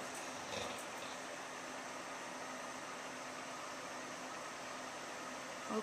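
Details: Steady broadband hiss, like an air conditioner or rushing air, fills the whole stretch with no barking heard.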